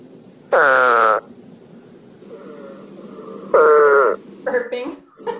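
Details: An Eastern Spadefoot, a Rhode Island species that has declined in the state, gives two short, nasal, moaning calls, each slightly falling, like a grumbled, slightly upset 'man'.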